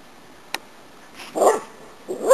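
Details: Cardigan Welsh Corgis, five dogs at play in a kennel on May 9th 2008; a sharp click, then a short rough bark and another clipped bark at the end, with faint background hiss.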